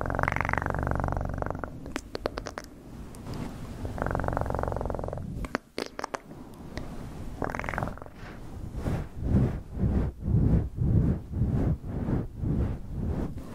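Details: Domestic cat purring in low, pulsing bursts, each swelling and fading as the cat breathes, with sharp clicking and tapping sounds between bursts and a run of rhythmic purr pulses toward the end.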